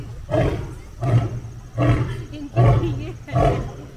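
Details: Roaring lion meeting another lion, giving five deep, hoarse grunts at a steady pace of roughly one every 0.7 seconds, each a short rumbling burst with breathy upper overtones.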